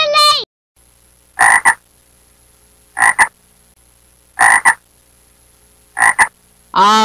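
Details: Frog croaking: loud double-pulsed croaks repeated four times, about every one and a half seconds, with quiet gaps between, after a short spoken word at the start.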